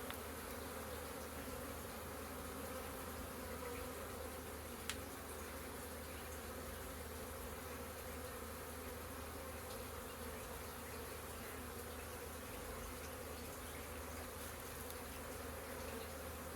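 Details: Busy honey bees by the hive on April 22nd, hundreds of them producing an unbroken even drone of overlapping hums, a single sharp tick early on.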